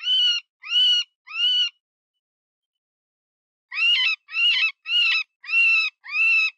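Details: Wounded-rabbit distress cry of an eastern cottontail, played as a hunting decoy to draw predators: three harsh, drawn-out squeals, a two-second silence, then five more cries, some cracking and wavering in pitch.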